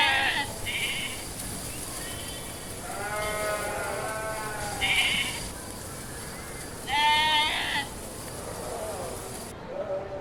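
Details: Several sheep bleat in turn, wavering harmonic cries of about a second each, some higher and nasal, one lower and drawn out, separated by short pauses over a steady background hiss.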